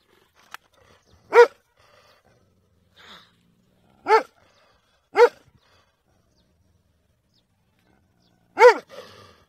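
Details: Dog giving four short, sharp barks spaced irregularly over about nine seconds, each a brief arched burst with rich overtones; near-silence between barks apart from a faint click and a soft murmur in the background.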